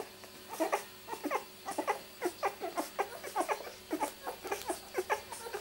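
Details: Rosie's two-week-old miniature Labradoodle litter, born 31st July 2009, keeps up a steady chatter of thin rising squeaks and little whines, closely spaced and overlapping, in a quiet indoor space.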